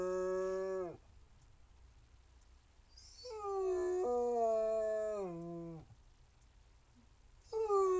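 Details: Basset Hound howling in drawn-out notes that waver and slide downward at their ends, with a short quiet gap between calls and a new howl beginning at the end.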